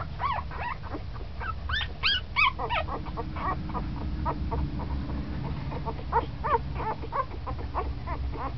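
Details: Ten-day-old puppy, newly moving about actively, giving many short high whimpers and squeaks in rapid irregular succession, a few rising-falling whines, over a steady low hum.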